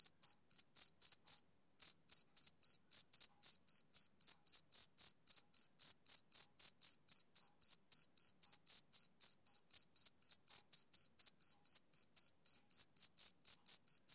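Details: Male cricket chirping, summer evening: fast high pulses at about four per second, a brief pause near the start, then an uninterrupted even train; no other sounds present.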